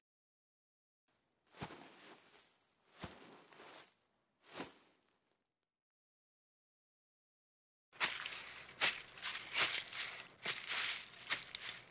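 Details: Three separate crunching bursts in silence give way to continuous crackling, tearing and footstep-like rustles outdoors, with no animal voice.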